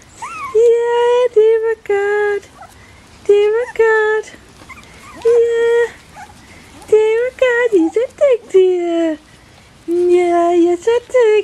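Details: Young Bichon Frisé puppies of litters O and P at Vejles Lille Kennel produce level, drawn-out whimpers in separate bouts of a second or so, with a few wavering squeals between quiet gaps.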